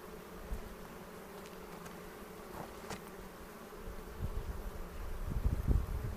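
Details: Kept honey bees droning as a hive is inspected in late April near Cochrane, recorded on a 360 camera; an even, low buzz throughout, with thuds and rustling of frames growing louder in the last two seconds.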